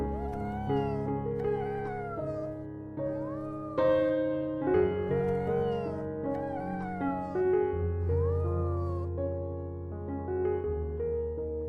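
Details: Cat meowing repeatedly, thin rising-then-falling mews in quick succession, some short and some drawn out, over a continuous bed of piano-like background music.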